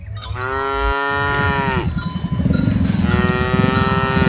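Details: Cattle among dozens being herded, giving two long, low, droning moos, the first falling off at its end and the second starting after a short pause, over a steady low rumble with clinking cowbells.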